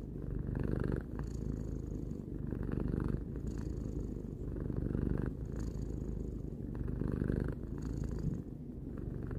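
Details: A domestic cat aged three purrs continuously, a rough low rumble whose breathy upper texture rises and falls in cycles near two seconds long, with short pauses at breath changes.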